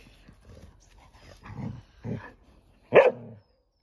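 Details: Young Golden Retrievers playing together: soft low grunts and growly huffs building up, then one sharp loud bark near the end, with quiet background between.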